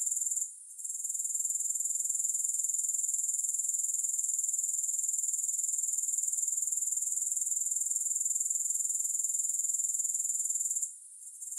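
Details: Continuous high, rapid pulsed trill from grasshoppers, no music, dipping briefly just after the start and again near the end, otherwise steady and even.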